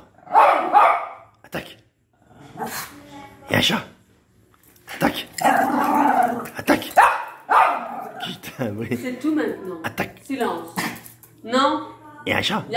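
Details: A male pinscher barks wildly in sharp, high bursts after hearing a small noise, possibly a cat, while a man speaks over it.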